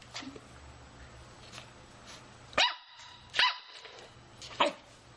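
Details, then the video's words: Playing Shih Tzu puppy giving three high, sharp barks spaced about a second apart, each with bright ringing overtones, over a low background hum in a small room. "Cachirro shitzu jugando."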